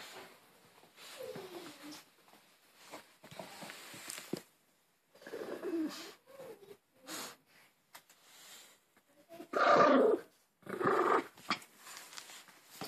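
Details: Harry, a Maltese dog, indoors playing with his new Angry Birds toy and refusing to let it go: rough, rumbling growls in uneven bursts of one to two seconds, loudest near the end, with a person's voice urging him on.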